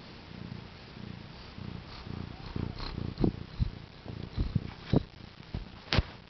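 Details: Newly-delivered mother cat with four kittens born April 22, 2010: soft rhythmic purring at first, then broken by louder short thumps, snuffles and rustling handling noises, with one sharp high click near the end.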